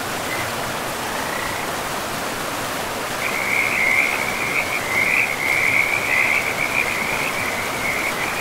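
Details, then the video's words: A frog by a river in a pristine forest gives a brief croak, then after a pause a long, continuous rattling trill of about five seconds, loud over the steady rush of the flowing river. "River and Frogs sleep sounds"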